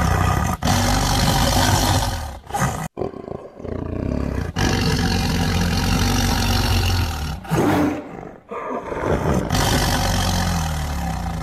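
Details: Tiger roaring in a series of deep, rough, broadband bursts with a strong low rumble, broken by short silent gaps and one sharp cut near three seconds.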